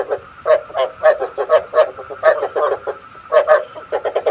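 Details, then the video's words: Frogs calling, used to lure frogs into night traps: an evenly paced series of throaty croaking pulses, roughly four per second, over a faint continuous tone. "Tiếng ếch mồi chuẩn 99,99% cho ae bẫy đêm tham khảo"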